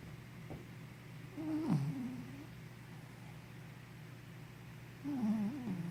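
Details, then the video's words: Henna, a sleepy puppy, snoring while asleep: two breaths bring wavering, whistled squeaks that dip and rise over a steady low hum, with quiet pauses between them. "Snoring Sleepy Puppy"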